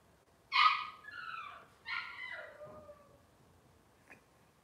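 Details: Cavalier King Charles Spaniel puppies from Robin's litter, indoors on a kitchen livestream, giving two high whining cries with harmonic bands that slide downward, followed by a brief faint squeak.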